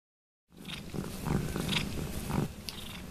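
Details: Domestic cat purring noisily while licking and washing another cat's foot; a low, steady rumbling purr runs under wet slurping licks that come in irregular bursts over a few seconds.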